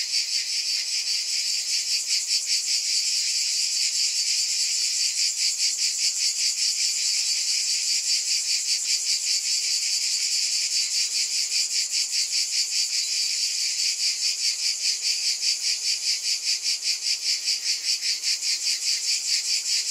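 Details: Cicadas in a dense, continuous high buzz, pulsing about two and a half times per second in steady waves, with no other sounds.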